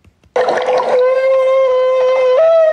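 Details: A humpback whale nicknamed Miles gives a long, trumpet-like feeding call, steady and tonal and stepping up in pitch at the end, as a bubble net comes up near people taking pictures.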